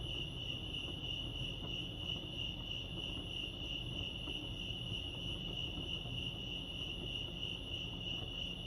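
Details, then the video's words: Chorus of crickets at Lake Arrowhead in California, their high, continuous pulsed chirping ringing evenly throughout, layered above soft low-pitched ambient noise. "Serenity sounds crickets chirping lake arrowhead"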